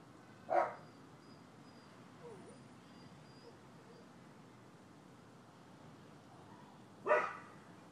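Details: Neighboring dogs recorded on 12/7/15 during a long barking session. Two isolated sharp barks are separated by about six and a half seconds of low steady background hiss.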